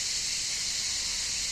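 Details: Cicadas sing outdoors in nature in a dense, unbroken, shrill high buzz that holds steady throughout, loud enough to drown out a speaking voice; no other sounds stand out.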